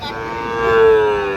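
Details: A Sahiwal bull calf, seven to eight months old, at Ambari Hat market in Dinajpur district, Bangladesh, 26 June 2026, gives a sustained, steady-pitched moo that swells louder toward its end, with faint voices behind.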